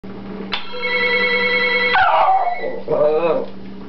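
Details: Pet dog howling in response to phone sounds: a steady electronic ringtone plays first, then a wavering, falling howl with a second rising and falling cry.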